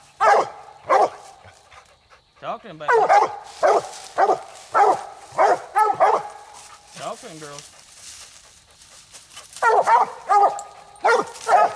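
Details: Night raccoon hunt with coonhounds Nite Ch Fit and Nite Ch Cindy at the second coon of the night: steady runs of full, ringing barks, some hoarse and drawn out, broken by a pause before the barking resumes quickly.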